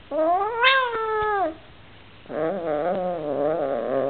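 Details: An Oriental Shorthair cat that dislikes his new housemate gives a loud, drawn-out meow, then a lower, wavering yowl.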